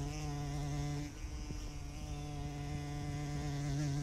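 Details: Close-up bumblebee giving a continuous low hum whose pitch wavers slightly up and down, with faint background rustle.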